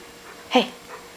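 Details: Older pet dog that has learned to tell its owners it is hungry and wants feeding, indoors in a small room; one brief, clipped, voiced yelp mid-clip, with a person softly asking if he is hungry.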